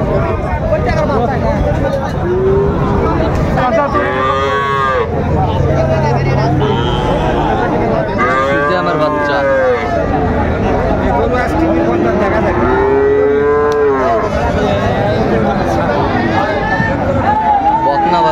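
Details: Repeated moos from cattle at Raniganj market, Dinajpur, on 12 July 2024, with Friesian heifer calves among the stock. Separate bursts of lowing arrive every few seconds, some drawn out and rising, above steady crowd noise and chatter.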